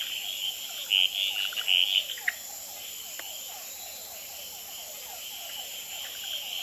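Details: On a potted plant at the Experimental Pond in Gamboa, male red-eyed treefrogs call, tremulate and fight at night under infrared; a quick cluster of three loud clucking notes early, then a continuous high chorus with repeated downward-sliding calls of hourglass treefrogs and other species.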